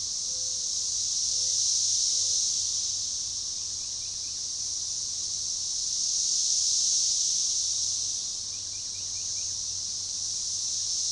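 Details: Magicicada tredecassini periodical cicadas in an organized, synchronized chorus at a forest edge near DeValls Bluff, Arkansas, June 7, 2015; a sustained shrill wall of sound pulses in two slow surges, with a few faint short tones early on.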